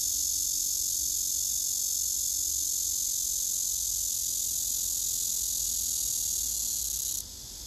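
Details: Male cicada singing on a tree, filmed by phone, with another male nearby listening: a steady, dense, hissing buzz held high and unbroken for about seven seconds, then abruptly dropping in loudness near the end.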